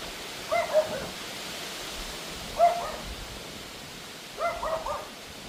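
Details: Yappy Pomeranian barking at a howling August wind storm around 7 pm; three clusters of short high yaps, the last a rapid triple, over steady wind rush.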